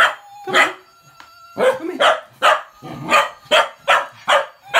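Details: Cocker spaniel puppy barking and going crazy at the trademark whistle of a Gizmo toy; sharp barks repeated roughly every half second, with the toy's thin steady whistle tones heard between them.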